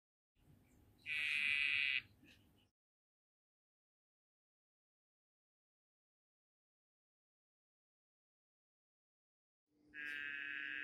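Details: Male dyeing dart frog, Cobalt morph, calling to a female during courtship as she taps his back; a steady buzzy trill held about a second, then a second call starting near the end.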